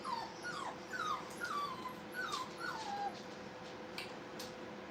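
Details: Playing Brittany puppies at a training kennel: a run of about six short, high whimpering yips, each sliding down in pitch, packed into three seconds, then quieter, over a constant background hum.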